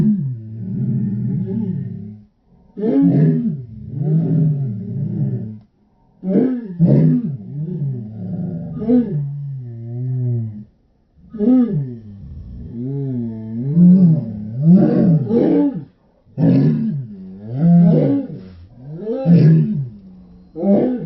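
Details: Several Shetland Sheepdogs howling, slowed down to slow motion: deep, wavering, arching howls with rich harmonics, in bursts of two to three seconds separated by short pauses, voices sometimes overlapping.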